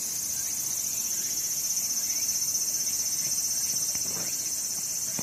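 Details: Cicada chorus in summer at Sakurazawa, Yorii, Osato District, Saitama, Japan, mountains and blue sky: a loud, constant shrill drone throbbing in quick regular pulses, with a few faint clicks late on.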